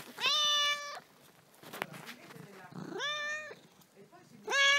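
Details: Restless domestic cat that never stops moving, giving three loud, clear meows about two seconds apart, each rising quickly then held, with brief Italian speech and small handling noises between them.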